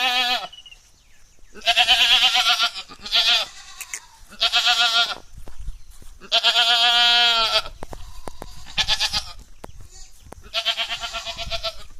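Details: Jamunapari female goat at Kadachanenthal, Madurai, which has kidded twice and is currently not pregnant. Repeated loud quavering bleats, some long and steady, others short and choppy, come about every one to two seconds, with faint clatter between them.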